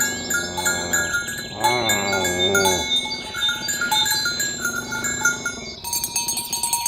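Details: Tame cattle roaming green grassland in the morning, herded along village roads toward the pen, calling companions to gather; one drawn-out, harmonic-rich moo lasting over a second, set against constant tinkling bells and chimes.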